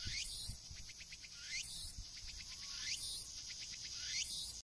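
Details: A Tsukutsukuboshi cicada sings from a coastal tree in cool autumn weather, sounding slower than usual. The song is quieter and farther off, with stuttering pulses and a rising shrill note repeated about every 1.3 seconds, alongside faint low thumps.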